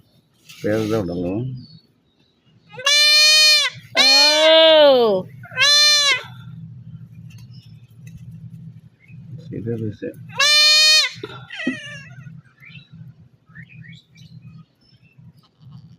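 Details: Male goat bleating repeatedly during castration: a series of loud, harsh, wavering bleats, some rising and falling in pitch, spaced irregularly over sixteen seconds, with people talking and handling noises between.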